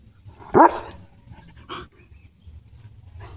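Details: A single sharp bark from Leo, a pet German Shepherd, is followed by a softer short yelp, then quiet background.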